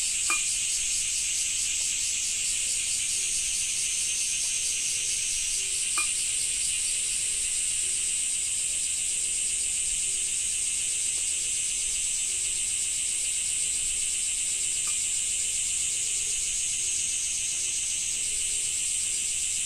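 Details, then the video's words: Cicadas in a Japanese summer, a dense, steady shrill buzzing held high and unbroken through the whole stretch, with a faint rasping texture and a few brief clicks near the start and middle. "Japan Rain Sound 5of2 - Cicada 2"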